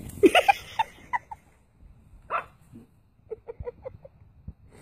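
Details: Puppy fighting back against attacking lion cubs: sharp high yaps and yelps in scattered bursts, then a quick cluster of short barks near the end, with scuffling noises between.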